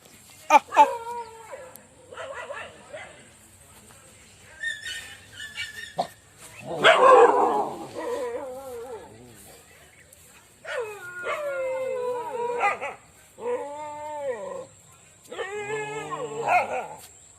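Dogs give drawn-out, wavering whines in short bursts, with one harsher, noisier yelp among them.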